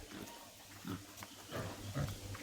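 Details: Farmed wild boar in a pen giving low, soft, rough grunts: a few short bursts spread over two and a half seconds, with a steady low hum beneath.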